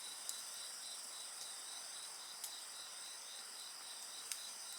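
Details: Shrill continuous insect chorus, one voice pulsing rapidly beneath higher steady tones. Three or four distinct crackles come from a nearby bonfire.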